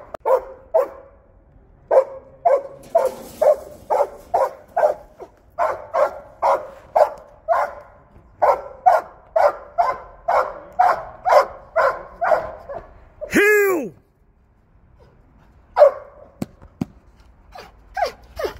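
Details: Belgian Malinois working, giving a long run of rapid, sharp barks, about two per second, broken near the middle by a brief high wavering squeal, then a pause and a few final barks.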